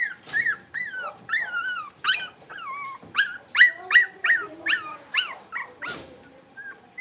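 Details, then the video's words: Blenheim Cavalier King Charles Spaniel puppies from a litter of five playing in a puppy pen, giving a rapid series of high, squeaky yips and whining barks, each bending down in pitch, about three per second. "Cavalier Puppies Livestream: Playing, Barking, and Learning"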